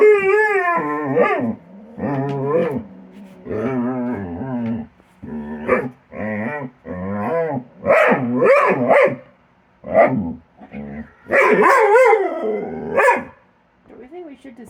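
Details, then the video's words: Dog Kilo in a habitual play session with Korra, snapping at air near her tree and never closing a bite; a rapid string of short, wavering, yodel-like growls and whines, some rising at the ends, broken by brief silences. "Kilo and Korra make funny noises when they play"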